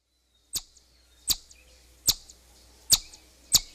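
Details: Chipmunk whistling: five sharp, high chipping notes spaced about three-quarters of a second apart, each a brief bright snap, over a quiet background.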